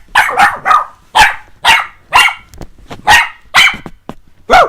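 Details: Puppies Jessie and S'mores barking during play with their owner, sharp bright barks coming in quick uneven bursts, about nine in under five seconds, with some barks doubled close together.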